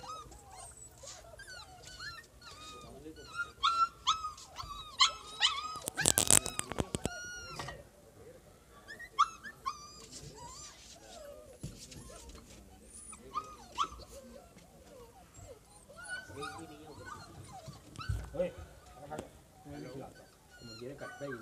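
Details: Siberian Husky puppies in Lahore, Pakistan, giving rapid, irregular high whimpers and short yips with rising and falling squeaky notes. A burst of loud clattering comes near the middle, and people talk faintly.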